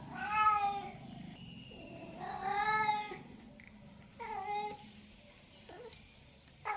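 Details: Pet cat meowing repeatedly: three clear harmonic meows roughly two seconds apart, each swelling and fading, plus a short softer chirp near the end and light background noise.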